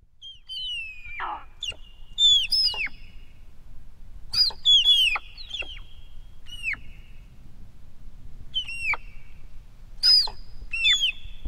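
Dybowski's sika deer hinds call in thin, high whistles, each starting shrill and sliding quickly downward. The calls come in an uneven series, sometimes overlapping, over a faint low rumble.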